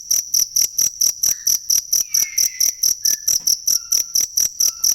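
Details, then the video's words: Cricket, recorded for training songbirds: high, regular chirp pulses around four per second, accompanied by faint short whistles and a brief sliding note in the background. "ASLI SUARA JANGKRIK BUAT MASTERAN BURUNG"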